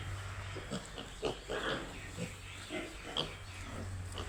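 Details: Piglets on a pig farm: short grunts and squeals in irregular bursts, some rising high and squeaky, about forty a minute over a steady low hum.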